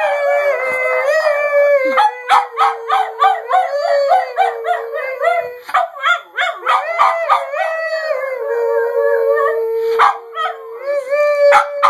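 A Boston Terrier mix howls in a long, wavering, sing-song voice, broken by yips and yowls.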